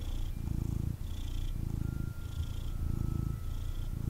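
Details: Intense purring from a male kitten cuddled after being picked up, a loud rumbling buzz pulsing in short inhale and exhale cycles under a second apart, with faint handling noise.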